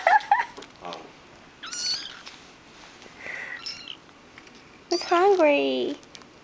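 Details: Hungry three-week-old kitten abandoned by its mother gives a few shrill wavering meows, the last one long and drawn out, amid soft human talk indoors.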